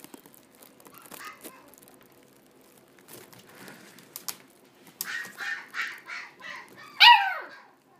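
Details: American Shorthair cat at the Coo&RIKU pet shop: soft rustling at first, then a run of short nasal pulses and a final louder meow that falls in pitch.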